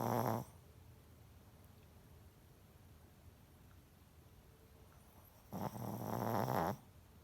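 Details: A Shih Tzu snores loudly with rough, rumbling breaths about five seconds apart.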